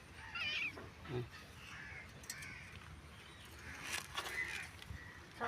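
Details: A stray kitten that came to a house, apparently crying for its mother, gives thin, high-pitched mews while people talk nearby; cat (kitten) meowing.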